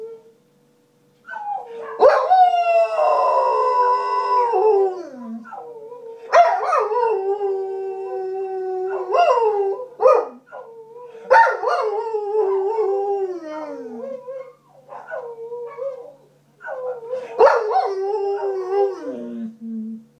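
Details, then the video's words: Young Groenendael, a Belgian Shepherd nine months old, sings a drawn-out howl of mournful held notes that waver and slide downward, broken by yelping onsets and brief pauses, with one low groaning tail at the end. "beautiful groenendal howling"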